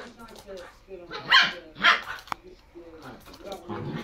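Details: Japanese Shiba Inu, a pet dog: two loud, sharp, high yelping barks about half a second apart, rising out of quieter murmuring human speech before and after.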